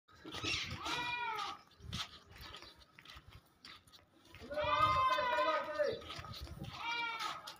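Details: Barbari goat, a white-eyed doe three months pregnant, kept for sale in Hanumangarh, Rajasthan, India. Wavering, harmonic-rich bleats come in two longer bursts and a shorter third one, with quieter human voices and farmyard noise between them.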